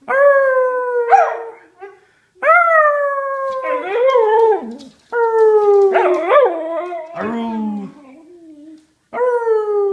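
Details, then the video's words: Whippet bitch howling in repeated bursts, each opening on a clear descending tone then breaking into rougher, yodelling wavers before cutting off into short silences; five howls in ten seconds. "Howling whippet"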